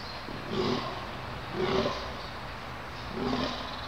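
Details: A red deer stag gives three deep, groaning roars in quick succession during the rut, recorded at Konopiště on 20 October 2015.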